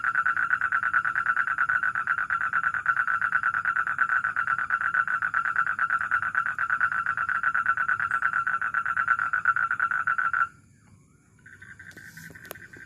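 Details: A toad recorded at a house gives a long, steady, rapid-pulsed trill at a mid pitch, a male's advertisement call.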